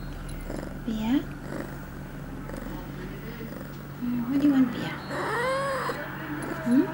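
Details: Pia, an 8-month-old female cat in heat, recorded September 23, 2011, two hours after her first birth control pill, gives several drawn-out, wavering meows that rise and fall, interleaved with a person repeatedly asking what she wants.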